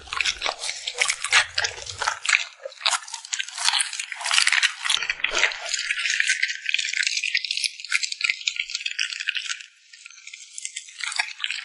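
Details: Close-up lip smacking and chewing from a puppy eating treats such as yogurt jelly and purple sweet potato jelly. A steady, crackling stream of wet clicks and smacks runs with a brief lull near the tenth second.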